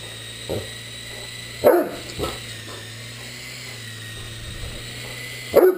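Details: Great Dane barking at a flying RC helicopter: a soft woof, then a strong bark with a quick follow-up, and another bark at the end, set against the helicopter's constant high whir.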